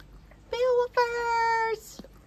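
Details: Beowulf, a talkative pet dog visiting indoors, gives two steady sustained howling tones, the first short and the second drawn out longer, as a woman talks to him about his food bowl.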